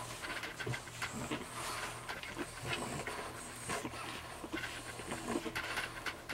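French Bulldog puppies nursing, with busy snuffling, soft panting and small squeaks over a hissy background.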